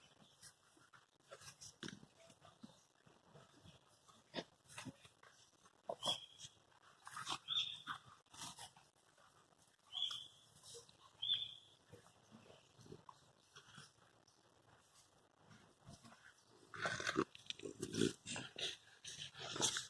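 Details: Presa Canario puppies, 100 days old, from one litter, playing together: scuffling and rustling, then several brief high whines and squeaks scattered through, with a louder burst of scrabbling near the end.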